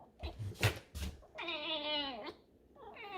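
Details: Pet fox indoors, grumbling and being stubborn, gives a squeaky whine: a few soft knocks and a short voice, then a long harmonic whine falling slightly at its end, and a second rising whine starting; a man talks nearby.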